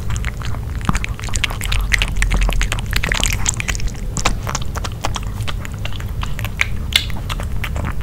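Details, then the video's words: Dog eating grilled pork indoors, close up: wet, sticky chewing with dense, irregular clicks and smacks, and a low rumbling undertone throughout, with no talking. "Piggy Dog Eating Grill Pork (No Talking) ASMR 먹방 EATING SOUNDS"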